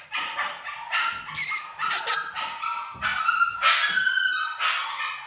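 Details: Pomsky cross Samoyed dog yapping almost nonstop in high, harsh barks, irregularly spaced at roughly two per second, with some squeakier, whining notes mixed in.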